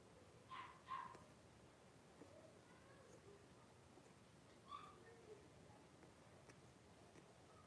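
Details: Blenheim Cavalier King Charles Spaniel puppies, five born to Paris and Spike at New Year's, in a home puppy pen in January 2023; two quick sharp yips, then a lone yip a few seconds later, with faint rustling between.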